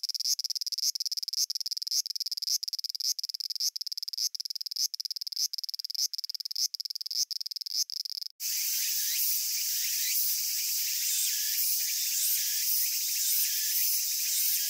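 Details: Japanese cicada song: rapid pulsed rasping bursts repeated roughly twice a second for about eight seconds, then an abrupt switch to a dense, continuous hissing chorus with rougher texture.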